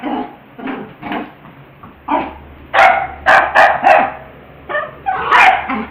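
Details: Playful pet dog with a ball, mixing soft whiny yips at first with louder, quick barks in a cluster near the end, over a faint constant low hum.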